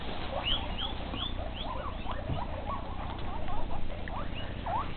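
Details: Evening feeding for guinea pigs, a female group kept with a castrated male: a busy chorus of overlapping rising whistled squeaks, some climbing high, others short and chirpy, over a low steady hum.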